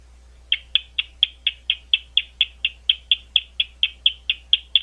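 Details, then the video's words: At Gwynne Conservation Area near London, Ohio, a bat gives crisp ticking pulses about twice a second after a short silent start, evenly spaced throughout, with a faint low background hum. "Bat Calls"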